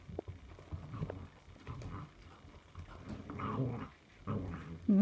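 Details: Puppies growling and grumbling: low, rough rumbles in uneven bursts with short squeaky notes mixed in, as a person talks to them nearby.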